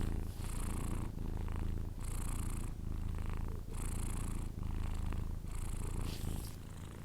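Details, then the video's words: Sleeping Persian cat snoring indoors: a steady run of raspy, hissing breaths, each about half a second long, repeating roughly every second over a soft low rumble, with no other sounds. "record my Cats snore when he sleeping"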